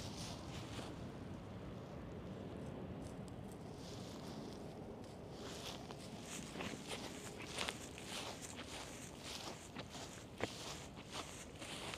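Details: Quiet outdoor ambience with footsteps and rustling, plus a few soft clicks, and no animal voice.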